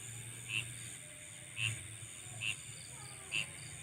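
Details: Insects calling at night: a steady, high, shimmering drone runs throughout, overlaid by short bright chirps about once a second, four in all, with a faint low hum underneath.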